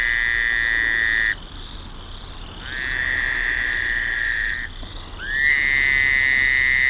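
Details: Several Fowler's toads calling on May 20, 1972, at a marshy creek mouth on Lake Erie near Rondo Provincial Park. Droning, bleating buzzes hold level for about two seconds each, one caller starting as another stops.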